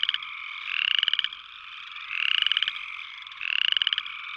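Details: Three upland chorus frog calls, each a short rattling pulsed trill sweeping upward, spaced about one and a half seconds apart, with a continuous frog chorus droning behind.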